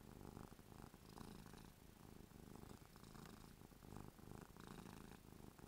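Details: Ruby the cat purrs while drooling from happiness, a rolling low-pitched rumble repeated in even breathing cycles, with soft crackling overtones, recorded close indoors.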